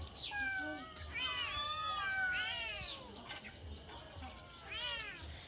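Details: A cat meowing repeatedly, with wavering, arched calls that rise and fall, several in quick succession, over faint background noise and nearby speech.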